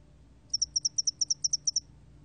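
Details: Spotted-wing hairy cricket giving a single short burst of about twelve sharp, high, evenly spaced chirps lasting just over one second, set against a quiet background.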